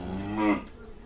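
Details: Cattle on a farm in Shahjadpur upazila ahead of Eid al-Adha: the tail of one moo, a brief harmonic bellow swelling and cutting off within half a second, followed by room murmur.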